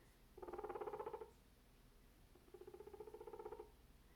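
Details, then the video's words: Guinea pig making grumpy, angry noises, upset at background noise: two pulsing, purr-like rumbles of about a second each, rapid buzzy vibration with a low tonal band, separated by a short pause in a quiet indoor setting. "Guinea Pig Makes Grumpy Noises at Cantaloupe"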